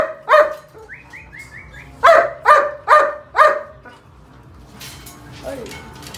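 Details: A German Shepherd at a purebred dog kennel gives a quick run of deep, harsh barks, one after another about twice a second.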